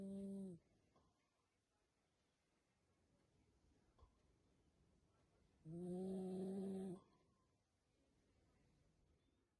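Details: Yorkshire Terrier (Canis familiaris), snoring.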